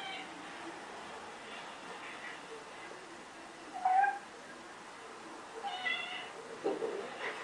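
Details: A persistent male cat that will not give up meows indoors: a short, bright meow near four seconds, then a rising, drawn-out meow and a final complaining one close together, with faint human voices in the background.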